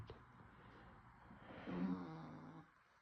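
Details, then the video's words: Sammy, a sleeping bulldog, snoring; a soft low rumbling exhalation that swells midway and fades, with faint room noise. "Sammy the bulldog snoring"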